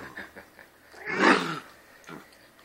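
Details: Albino house cat Husky, said to "talk", gives one drawn-out, strained yowling vocalization swelling and fading over about half a second, with faint household sounds and quiet talk around it.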